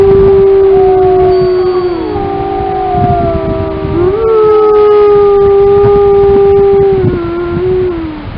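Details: Grey wolves, Yellowstone's Lamar Canyon Pack, in a sustained group howl. A dominant long, level note carries over several softer voices that bend up and down, shifting pitch twice before tapering off at the end.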